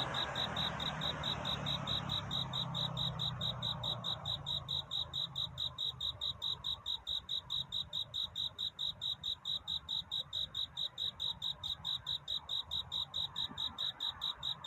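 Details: Courtship song of a cricket at night, a continuous run of sharp high chirps in regular rhythm, a low hum fading early on, then steady soft ambience.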